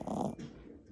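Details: A 4-month-old male Boston Terrier puppy snores: a short, raspy, vibrating intake of breath, loudest at the start, trailing off into a quieter, breathy wheeze.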